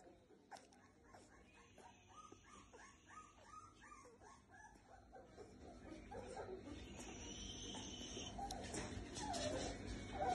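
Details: Cane Corso puppy whimpering: a quick series of short, high, wavering whines and yips through the first half, repeated about every second, then fading into rising broadband rustling and handling noise toward the end.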